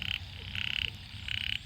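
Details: Small frogs in a wet paddy field in Sisaket, Thailand, the morning after heavy rain, giving three short grating croaks, each a buzzy burst under half a second, separated by brief pauses, over faint low rumble.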